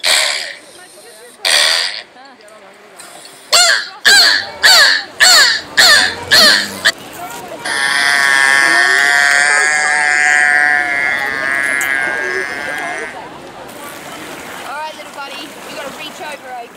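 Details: Beluga whale in an aquarium at Niagara Falls, Ontario, Canada: a run of harsh, evenly spaced raspy bursts, nearly two per second, then a long buzzy harmonic tone held for about four seconds before fading into quieter background chatter.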